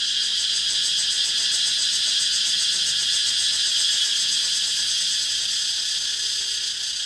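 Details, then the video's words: Steady, piercing drone of many cicadas calling together, pulsing rapidly at the highest pitches, loudness nearly constant and easing slightly at the very end; nothing else clearly audible. "Relaxing With Cicadas Sound"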